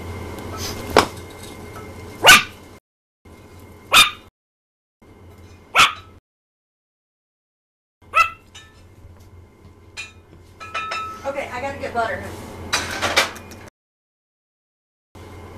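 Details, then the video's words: Tiny female Yorkshire terrier, newly brought home, indoors, barking and singing for attention while dinner is cooked: sharp single yaps roughly every two seconds, then a busier run of higher yelps, with kitchen clatter around. "Iota the Tiny Yorkie Sings for Attention"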